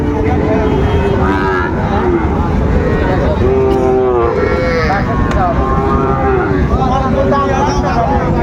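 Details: Sahiwal calves, about six to seven months old, at the Raniganj haat in Dinajpur on 16 September 2024: a series of curved, harmonic lows in quick succession, heavily overlapped by bargaining speech and crowd noise.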